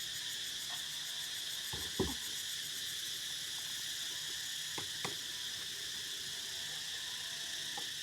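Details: Cicadas singing outdoors on a hot, sunny day at Ban Dan Xang village, a dense steady high buzzing chorus with fine rapid pulsing, broken by a few dull knocks from nearby work.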